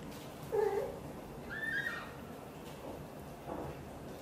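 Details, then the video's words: British Shorthair mother cat Xaxa, blue golden, hugging and talking to her tiny kitten Piano: one short low meow, then a higher, longer trilling call that bends down, followed by soft quiet murmurs. "Mother cat loves to talk and hug tightly her tiny kitten Piano"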